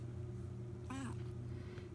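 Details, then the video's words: Tutu, a Siamese Balinese pet cat said to speak the word "bath", gives one short wavering meow after being asked about taking a bath, over a steady low household hum. "Tutu my smart Siamese kitty talks, says "bath""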